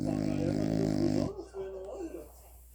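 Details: Sleeping French Bulldog named Leonel Messi, still snoring indoors after rhinoplasty improved his breathing: one long, loud, raspy snore with a rich buzzing tone for about a second, then quiet room with faint television talk.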